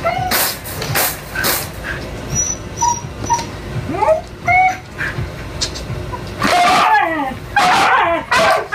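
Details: A young male Siberian Husky whines and whimpers in high, wavering cries, eager to mate with a female in heat who is refusing him after her first experience.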